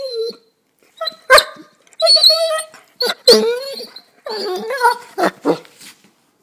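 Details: Pet Basset hound whining to wake its owners: a series of high, nasal whimpers and yodelling moans in short bursts, some rising and falling, with brief pauses between, about six outbursts in quick succession.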